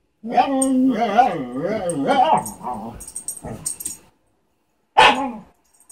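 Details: A Siberian Husky named Lunatic, wanting to play with the family cat Tink, produces a sustained talkative moaning call that bends up and down in pitch for nearly four seconds, followed after a pause by one short yelp-like burst.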